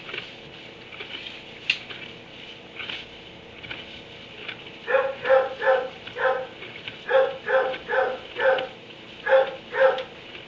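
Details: Kenneled dog in a barn at 3 am. A few faint taps, then from halfway through a steady run of about a dozen loud barks, roughly two per second, over a soft background hiss.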